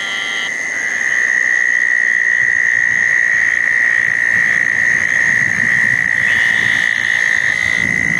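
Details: Southern toads gathered at a pair of small dug ponds on a wet night after a thunderstorm, June 10, 2014. A steady, loud, high, even trill runs almost unbroken through the clip, with fainter higher calls near the start and end.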